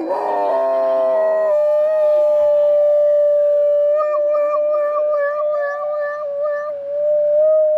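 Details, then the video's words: Dog howling in imitation of a siren going off: a long sustained, steady tone that wavers and trembles near the end, with a lower tone sliding down and back up in the middle. "Dog Imitates Siren"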